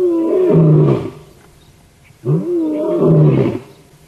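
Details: Sunrise roaring by the Birmingham male lion on 19 September 2016, a loud good morning during live safari viewing; two full-throated deep roars about two seconds apart, each opening with a brief rising intake-like grunt.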